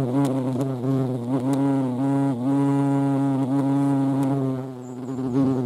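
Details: European hornet in flight, a steady low droning buzz rich in harmonics that wavers slightly in pitch with brief dips, continuous throughout with no other clear sounds.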